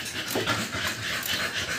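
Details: Two-month-old American Bully puppies, just given their second 5-in-1 vaccine, breathing in quick, airy, rhythmic pants of soft breathy bursts that repeat steadily across the moment, with no other clear sounds.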